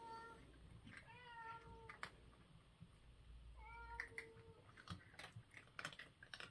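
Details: Breakfast-time cat: two clear, level mews about three seconds apart, each followed by bursts of crisp crunching clicks as food is chewed.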